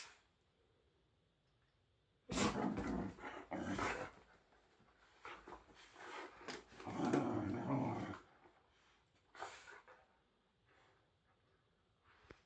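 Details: Whippets at play give noisy, gruffer growls and scuffling huffs in loud bursts, grouped between two and eight seconds, then a single short outburst near ten seconds after a quiet stretch.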